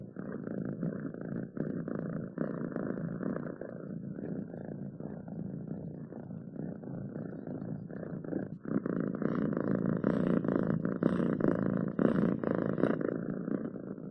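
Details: Domestic cat purring, a continuous low rapid rumble that grows louder and fuller in the second half, with faint high rustling.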